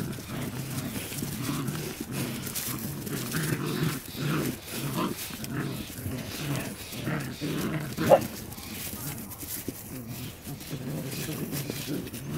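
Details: Border Collie puppies at play, giving low, rumbling growls in uneven bursts with a brief sharper yip near the eight-second mark and a steady background murmur.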